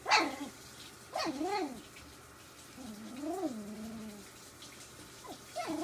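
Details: Three-week-old puppies from Ziva's litter playing together indoors: several short high yelps and wavering, harmonic whines that rise and fall, about five calls spread across the stretch with quiet pauses between, no other clear sounds.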